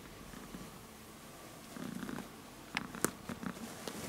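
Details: Small cat purring while moving his leg indoors; soft continuous low rumbling purr, with a few sharp clicks and rustles toward the end.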